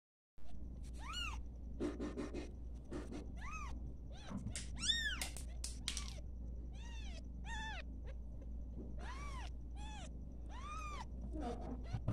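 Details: Newborn domestic kittens at play, giving a rapid series of high, arched mews, each rising then falling, about fifteen over twelve seconds, some overlapping, over a steady low hum.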